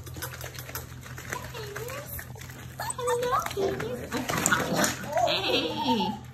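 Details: Litter of German Shepherd, Labrador and Rottweiler mix puppies, one cream pup added from another litter, giving high wavering whines and squeals that rise and fall, several overlapping near the end, with people talking throughout.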